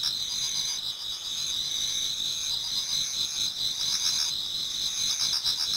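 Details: Autumn insects in a Japanese garden near dawn form a constant high-pitched chorus of overlapping trills, with rapid pulsing chirps rising and fading around the four-second mark.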